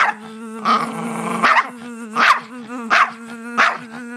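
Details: A dog that hates buzzing goes wild at a buzzing noise, giving five loud, harsh barks about once a second over a steady, droning buzz that runs throughout.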